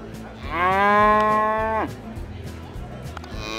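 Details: At a cattle auction fair, one sustained, harmonic-rich bovine moo holds steady for over a second and falls sharply at its close, with soft background music continuing underneath.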